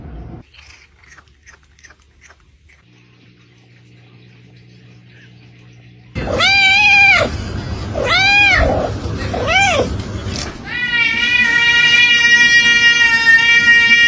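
A hungry domestic cat gives a quick series of arching, nasal meows to beg for food.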